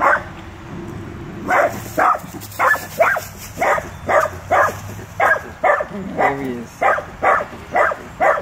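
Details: Small Dachshund barking at a full-grown Rottweiler, a steady run of short, sharp yapping barks after a quiet start, with a faint whine in the middle.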